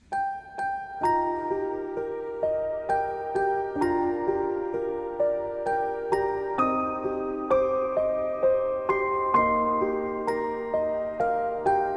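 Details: A gentle music-box lullaby plays its tinkling notes steadily, with no animal sound beneath it.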